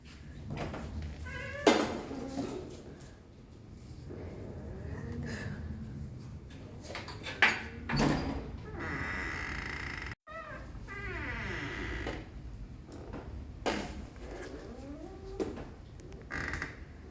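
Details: Terrier mix dog in a tantrum inside a home, giving a series of drawn-out whines and whimpers that slide up and down in pitch, several in quick runs, mixed with thumps and household knocks.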